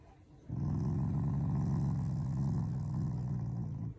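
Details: Shiba Inu, a loving family dog, growling affectionately at its owners rather than in anger; one long, low, rumbling growl of about three and a half seconds with a steady pulsing buzz, in a quiet room.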